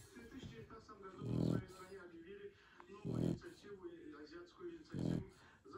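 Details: Zlata, a female Shar Pei, snores while asleep indoors: three low, rasping snore bursts roughly every two seconds, with a person speaking softly over the sleeping dog.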